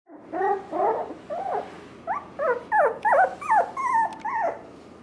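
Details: Wire Fox Terrier siblings, puppies kept at a pet shop in Nara, Japan: a run of high, wavering whimpers and yelps, about a dozen short cries with rising and falling pitch, quickly repeated over five seconds.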